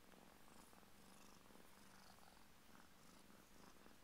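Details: Burmese kittens two weeks old, purring as a steady low rumble that runs unbroken through the whole stretch, with no other clear sounds.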